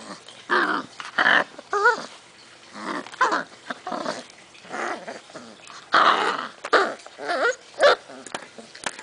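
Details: Six-week-old puppies from a rescue litter, filmed January 6, 2011, growl and grumble in short rough bursts, some rising into whiny yelps, with pauses between; several pups sound at once indoors.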